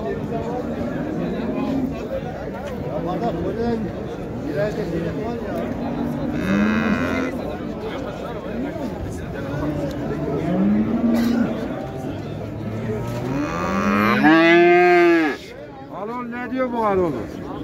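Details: Cattle at the Şarkışla livestock market, Turkey, on 15 January 2022, lowing amid bargaining over a calf; several drawn-out harmonic moos, one rising then falling, mixed with men talking, crowd chatter and market noise.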